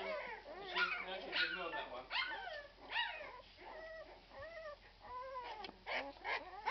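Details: Whimpering Irish Red and White Setter pups aged 12 days cry in bursts of high, bending squeaks, roughly one per second, several voices overlapping while people talk softly nearby.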